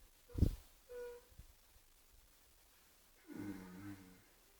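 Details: A sleeping horse named Oscar gives one low, rumbling snore that drops slightly in pitch. It comes after a sharp thud and a brief faint hum.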